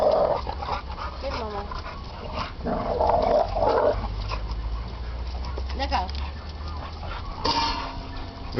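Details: Pet dogs playing around together, giving short tonal whining and yelping sounds in bursts near the start and again around the middle, with human speech and household noise running underneath.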